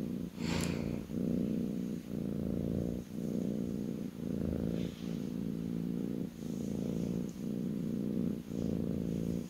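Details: Kitten purring on a person's lap indoors: loud, continuous low rumble swelling and pausing with each breath, roughly every second, with a short rustle at the start.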